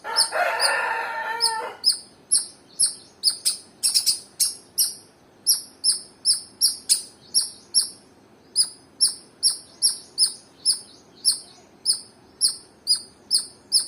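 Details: Squirrel chirping: after a short rough burst of noise, sharp high chip notes repeat steadily about twice a second, each a bright doubled note, continuing evenly to the end against a quiet background.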